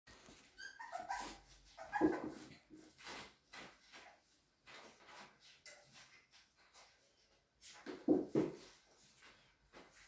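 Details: Cavalier King Charles Spaniel puppies at a breeder's home in a small village in the Sierra de Madrid, Spain, giving scattered high whimpers and short yips indoors, with a woman speaking Spanish nearby.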